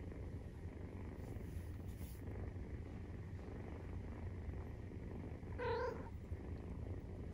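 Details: Maine Coon cat, 43 days after birth, purring during nursing: a steady low rumbling throb fills the whole stretch, broken near the end by one short, tonal mew-like squeak.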